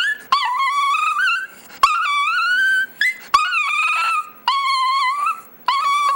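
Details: Pet chihuahua "singing" indoors, giving about five drawn-out, wavering high howls, each bending up and down in pitch, separated by brief gaps and sharp clicks.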